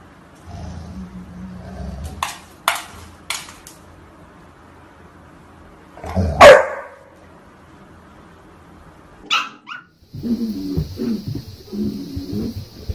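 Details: Domestic dog reacting to its reflection in a mirror: a single loud, sharp bark stands out midway, with a few shorter clicks and yips around it, low rumbling at the start and a steady high hum near the end.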